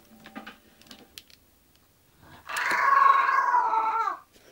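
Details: English bulldog Zenuś settling down to sleep gives a single drawn-out, whining moan lasting under two seconds, tonal with layered harmonics that sag slightly at the end, after a quiet stretch of faint shuffling.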